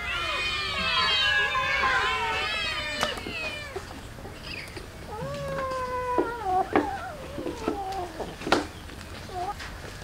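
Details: Street cats and a kitten at feeding time, given rice with fish: several overlapping harmonic meows in the first three seconds, then a drawn-out falling meow and shorter mews with clicks and small knocks.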